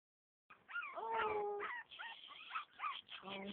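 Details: Havanese dog, indoors, giving wavering, yodelling howls with sliding whine-like tones, broken into several uneven phrases, while a person coaxes it.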